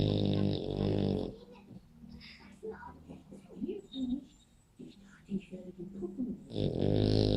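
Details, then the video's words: French Bulldog Spike snores indoors. A heavy, rattling snore opens the clip and another closes it, both deep and buzzy. In between comes quieter, irregular breathing with soft voices. "Spike beim Schnarchen"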